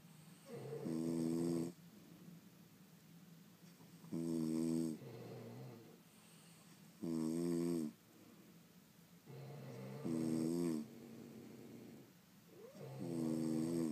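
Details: Snoring of sleeping French Bulldogs, several dogs in one room: five strong rattling inhalation snores spaced about three seconds apart, alternating with quieter breathy exhales, nothing else audible.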